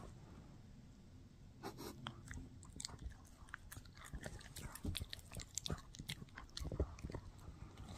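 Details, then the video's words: Mikki, a Shih Tzu, gnaws a no-hide bully stick; after a quiet start, sharp crackling clicks and soft crunches come in scattered bursts over a low steady hum. "Shih Tzu Chewing on a Bully Stick"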